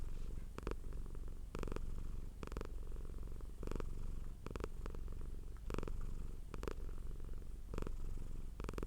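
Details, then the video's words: Continuous low purring of a domestic cat with brief noisy bursts recurring about every second, likely fur rustles or breaths. "Purring Cat sound for Relaxation"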